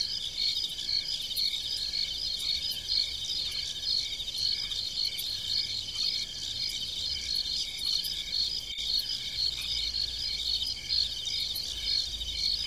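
Crickets chirp steadily at night, a dense high-pitched trilling chorus from many insects at once.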